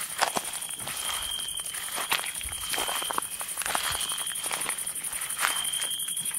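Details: Crickets calling at night in the woods: a shrill high drone, a mid-pitched tone held for several seconds at a time, and scattered crunchy footsteps from someone walking.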